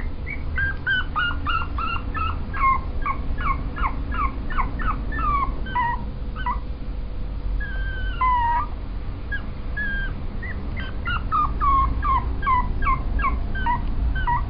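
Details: Pomeranian dog whimpering in quick bursts of thin, high, wavering yelps, several per second, pausing midway for a drawn-out falling whine before another rapid run; a steady low rumble underlies the whole recording.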